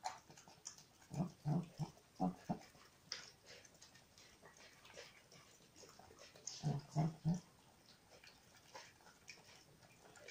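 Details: Welsh Corgi puppy eating: low snorting grunts come in two quick clusters of about five, early on and again near the seven-second mark, with faint indoor room noise between.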